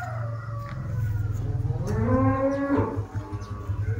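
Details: Tame cattle at Mangunsari: one drawn-out moo rising then falling slightly, lasting about a second, over a steady low mechanical hum with faint rustling.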